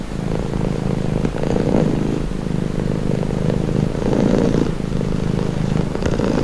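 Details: Calming purr of a pet cat: a deep, even rumble pulsing with each inhale and exhale, louder surges around the middle and end, nothing else clearly audible.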